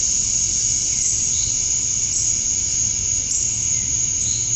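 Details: Summer-night cicada chorus at dusk in Georgia, USA, males calling to attract females: a dense, even, very high shrill hum that holds steady throughout with no breaks.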